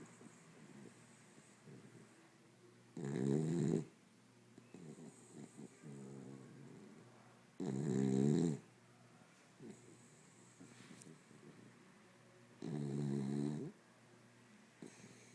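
A sleeping corgi gives deep, rattling snores that come in strong bursts roughly every five seconds. Quieter breaths and faint snuffles fill the gaps in a hushed indoor room.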